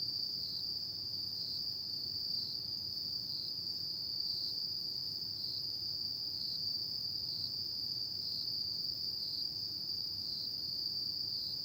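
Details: Continuous shrill trilling of autumn insects at night, one sustained high note pulsing gently at regular intervals, with a low steady rumble beneath.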